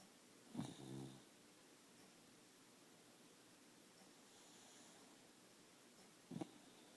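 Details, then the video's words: Sleeping dog snoring: a short rasping, throbbing snore near the start, then quiet breathing, and a second brief snort-like snore about six seconds later, in a quiet room. "Epic snoring"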